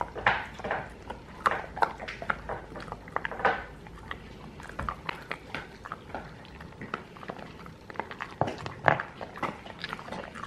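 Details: Crunching and biting from dogs working on alligator chews given as a rainy-day treat, dense sharp clicks clustered in bursts, a quieter stretch midway, then more crunching.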